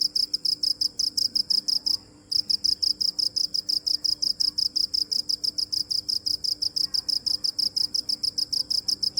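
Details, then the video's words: Cricket giving continuous rapid high-pitched chirps, steady pulse after pulse, broken only by a brief silence of a fraction of a second early on before the even rhythm resumes. "Cricket chirping"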